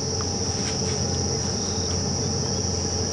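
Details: Cicadas calling at dusk in the low veld of South Africa at Djuma Game Reserve, September 14, 2015, heralding the coming summer on a chilly evening: a continuous high, steady, shrill drone with faint other insect notes.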